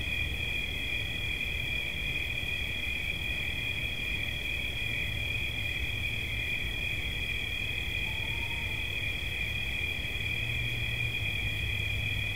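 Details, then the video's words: Relaxation recording of a cricket, its unbroken high-pitched trill holding one steady tone throughout, with a fainter upper band, a deep background hum and a brief soft tone near the middle. "Świerszcz. Dźwięki relaksacyjne"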